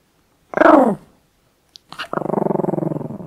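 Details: Female miniature pinscher Dobi, born 2014, angry while eating chicken and a chew indoors; a short rising-falling whine-growl, a pause with a small click, then a rough pulsed growl rattling about twelve times a second.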